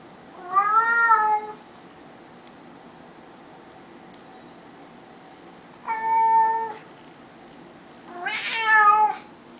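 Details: Three clear meows from Teddy, a talking house cat, each about a second long with strong harmonics; the last one higher and more strained, separated by several seconds of quiet room.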